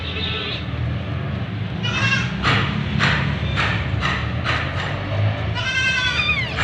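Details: White Persian kitten being bathed under a shower. It gives a run of short, rising-and-falling meows with bright overtones, about one every half second. A longer, drawn-out meow comes at the end, over steady low running-water noise.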